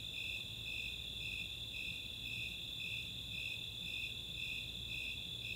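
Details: Snowy Tree Cricket and Four-spotted Tree Cricket chorus on a summer night at Chautauqua, Boulder, Colorado: a continuous piercing trill layered with regular pulsing chirps close to two per second.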